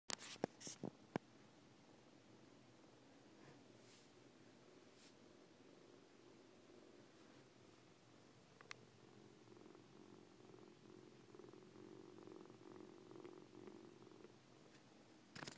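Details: Siamese foster kittens Coco and Lache indoors; a low, steady rumbling purr swells in the second half, with a few sharp clicks and taps near the start and in the middle, in a quiet room.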